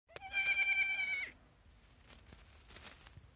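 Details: A young goat kid in a field gives one loud, wavering, high bleat lasting about a second, followed by quiet rustling and faint clicks.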